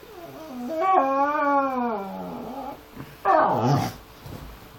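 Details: Pitbull XL and Amstaff XL mix howling to be let into the back garden at 7 in the morning. One long, wavering howl falls in pitch over about two seconds, followed by a shorter, rougher howl.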